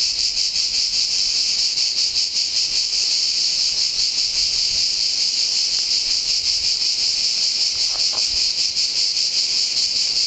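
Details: Pine forest at San Sostene (CZ), Italy, filled with the deafening song of cicadas, an unbroken high, hissing drone with quick rhythmic throbbing and almost no other sound.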